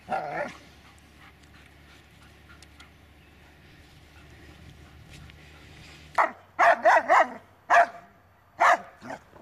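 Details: Sharp, loud barks from the Dobermann Magmar Von Der Burgstätte: one at the start, then quiet, then a rapid run of about six barks in the last three seconds over a faint low hum.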